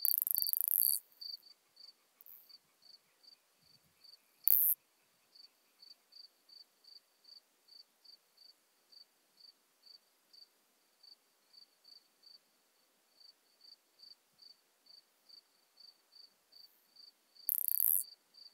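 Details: Modest Plump Bush-cricket singing in Marz, Austria, on 13 June 2020, captured through an ultrasound detector; faint, evenly spaced high chirps repeated over twenty times, interrupted by loud bursts of handling noise at the start, middle and end.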